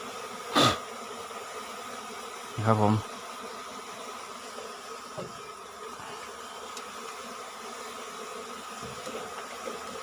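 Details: Asian honey bee colony being taken from its nest beneath the roof of a little field hut, five combs in all; a continuous droning hum runs throughout, broken by two sharp clattering knocks near the start.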